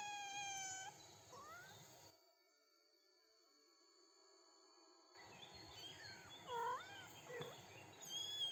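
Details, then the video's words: Meows of 3-week-old kittens with their mother outdoors on grass with daisies; a long steady harmonic mew, then after a pause several short rising-falling mews, with faint background noise. "Adorable 3-Week-Old Kittens Take Their First Steps & Meow with Mom"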